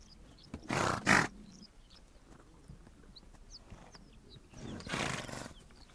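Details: Horses on the Mongolian steppe give two loud, breathy, broadband snorts, one near the start and one near the end. Quieter shuffling fills the gap, and faint short bird chirps sound overhead.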